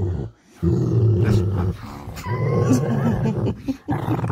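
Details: A Rottweiler dog waking up in the morning makes deep, drawn-out grumbling growls in long rumbling phrases with short pauses, while a person speaks to it nearby.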